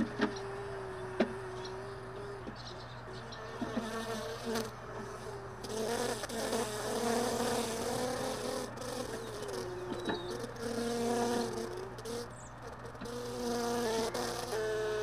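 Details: Honey bees lingering at hive boxes left in a truck bed, sorted early in the morning; several overlapping buzzing tones rise and fall as bees fly close, with knocks and clatter of handled frames and a low steady hum underneath.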